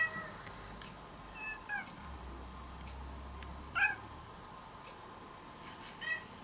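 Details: Once-stray brown-and-white kitten, now living almost as a house cat, gives short meows while listening to recorded cat sounds; brief calls scattered across the stretch, with a low hum underneath.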